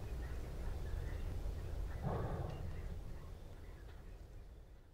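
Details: Southern white rhinoceros in the South African bush, panting while approaching a rival during a dominance tussle: a low, rumbling groan swells around the middle, over a steady deep background rumble with faint chirps of other creatures.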